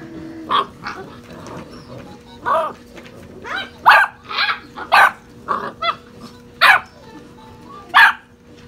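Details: Young puppies, six and a half weeks old, tumble in rough play with irregular yaps and squealing barks, some grumbly, spaced unevenly across the stretch, with a low steady hum beneath.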